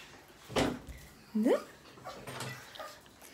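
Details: A little female Yorkshire Terrier, excited when asked to come along for a walk, gives a short rising whine between two sharp bursts of noise in a small room, while a voice repeats questions nearby.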